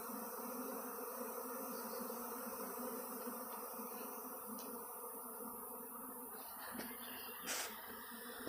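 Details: Thousands of honey bees swarming in a back yard toward a cedar tree; a steady, dense humming drone of wings, with a couple of bees buzzing close past near the end.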